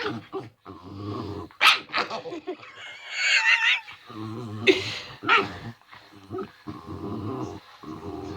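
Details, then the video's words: Male pet dog making normal playing noises, protective of his sick owner; rough growls and grumbling mixed with higher whining yelps and harsh breathy bursts, continuous and uneven throughout. "Weird Doggy noises"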